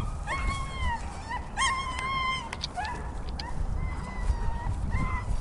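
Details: Donovan Pinscher named Jack during his fifth bitework training session: a series of high, drawn-out whining cries with bending pitch, one sharper yelp near the middle, and short gaps, over steady low background rumble.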